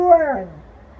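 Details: Female Alaskan Malamute, relaxing in a yard, howls in response to a passing ambulance siren; a short tonal wail sliding steadily downward and fading out within a second.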